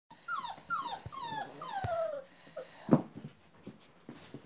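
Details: Labrador Retriever puppy from a breeder in West Salem, Wisconsin, giving a run of high whines that slide downward, four in quick succession, then a short soft sound and a thump.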